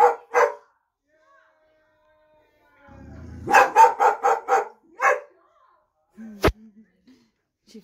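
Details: Boxer dog barking to scare off a delivery van, apparently taking a figure on the van for a real person; after a woman's voice, a burst of about six quick, gruff barks, then a click and quiet.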